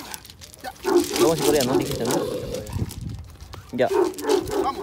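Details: Dogs barking as a Belgian Malinois meets a Dogo Argentino, Bull Terrier and Rottweiler outdoors; it gets agitated hearing others bark at it. Two clusters of rapid, tonal, yelping barks with a man's voice throughout.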